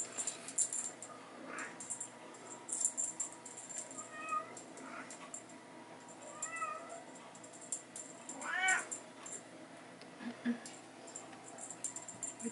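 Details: During teaser play time in a hallway, Bengal kittens and their mother give several faint high chirping meows and one louder arched meow, over busy clicking and rattling sounds of the toy.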